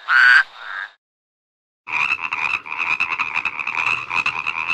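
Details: One loud, abrupt croak, then a short silence, then a dense chorus of overlapping rattling frog trills running without a break.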